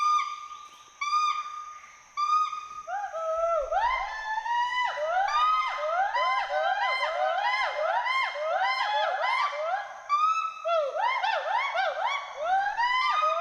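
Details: In the forest of Hollongapar Gibbon Sanctuary, Assam, a pair of Western hoolock gibbons at play open with a few clear whistled hoots, then build into a dense, overlapping series of swooping whoops that rise and fall quickly.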